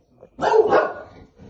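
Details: Bulldog reacting to the sound of coat hangers gives a single short, loud, rough bark-like yelp that breaks off abruptly, followed by quieter low noises.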